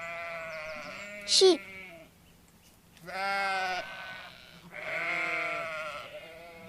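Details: A sheep gives a brief sharp squeal, then two drawn-out bleats with a quavering, nasal quality. There is a steady low hum underneath.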